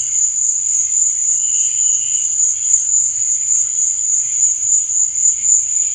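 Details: Crickets chirping at night: a steady, very high, shrill trill runs without pause, with softer, lower chirps drifting in and out underneath.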